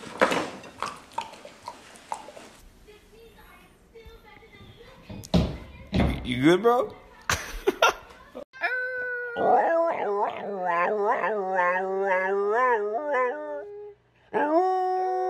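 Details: Husky indoors after human talking and clattering: a wavering, yodelling string of rising and falling whines that settles into a sustained howl, then a brief gap and another held note.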